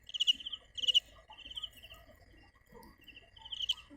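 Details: Cricket (dế mèn) calling: bright, high pulsed chirps in short trills, some spaced and some run together, over a steady thin high tone and scattered faint clicks.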